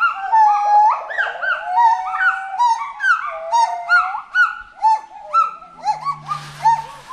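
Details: A loud, musical bout from forest monkeys: interwoven swooping and looping whistled notes, rising and falling in a bouncing rhythm about twice a second. A low hum and a short burst of noise appear near the end.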